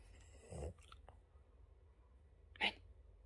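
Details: Boston Terrier dog playing fetch, obsessed with his blue ball, gives a single short, sharp bark near the end, after an earlier dull low thump; quiet indoor background otherwise.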